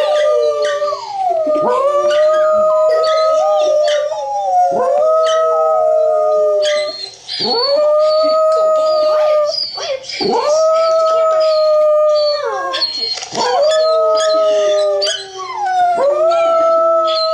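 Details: Two dachshunds howl together while watching dog TV, long, wavering, sustained notes repeating about every three seconds; one dog howls while the other stays silent.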